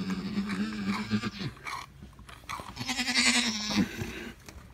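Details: Alpine goat delivering triplets, a low, tremulous bleat followed by a longer steady cry, mixed with higher bleating and rustling movement close by.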